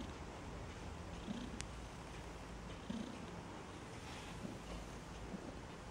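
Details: Maine Coon newborns in a Saint Petersburg, Russia cattery: soft, short low squeaks near the one- and three-second marks over a continuous purr-like rumble, with one sharp high click.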